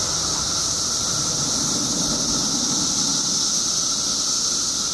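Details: Illinois emergence of periodical cicadas after 17 years below ground: a relentless, even high buzz from billions of insects, unchanging over the seconds, with a faint lower whine and slight background rumble.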